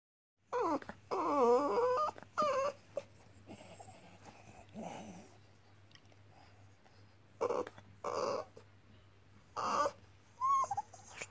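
A French Bulldog whines in high, wavering cries, begging for play and attention, with a person speaking briefly.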